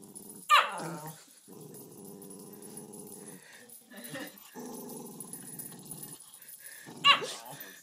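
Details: Female Cairn Terrier defending a toy from a Fox Terrier: steady low growling in long rumbling stretches, broken by two shrill barks at the start and end, with a woman's voice in the background.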